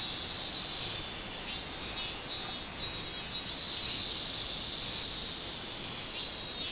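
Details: Robust cicada song recorded 24 July 2016, a continuous high-pitched shrill drone rising and falling in rhythmic pulses roughly every half second, with no other clear sounds.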